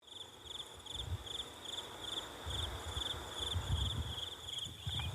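An insect gives a high, thin chirping in quick pulsed bursts, over a low rumble of wind.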